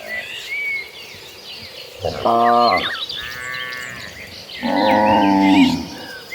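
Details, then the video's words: Calm cattle among dozens of cows walking toward a green pasture: two drawn-out, harmonic moos, the second longer and steadier, with birds chirping high in the background. "Dozens of gentle cows walk toward the green pasture, the sound of calm cattle mooing."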